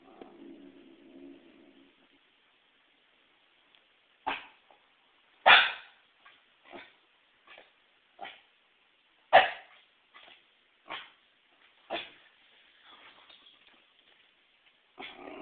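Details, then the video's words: Female Pembroke Welsh Corgi afraid of a volleyball indoors: a short low growl opens, then a series of sharp, loud single barks spaced a second or two apart, some with brief echoing tails. "Fear of Volleyball"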